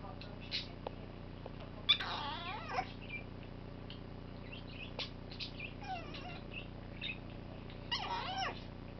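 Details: Domestic cat calling because it wants to come up; a few drawn-out, wavering meows, the loudest near the start and another near the end, with softer sounds between over a steady low background hum.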